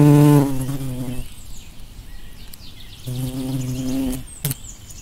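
A bumblebee's low, droning buzz sweeps past twice, loud at first and then fading.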